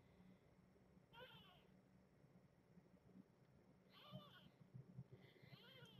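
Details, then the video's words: Newborn domestic kitten, about two and a half days old, meowing in his sleep among a rescued litter near Tulalip, Washington. Three thin, high, wavering squeaky meows, the last longest, over a low steady background hum. "One of the kittens is meowing in his sleep."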